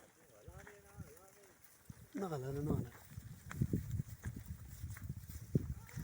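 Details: Desi Barbari goat of breeding quality from Dera Ismail Khan, Talagang, on a goat farm: a soft wavering bleat early on, then a louder, quavering bleat near two seconds, followed by human voices and rural background knocks.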